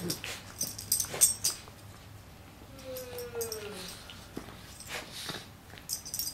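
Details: Two pet dachshunds play wrestling at home, including a male almost two years old who is still very playful; a drawn-out whine slides across the middle, set among bursts of scuffling, thumps and high jingling.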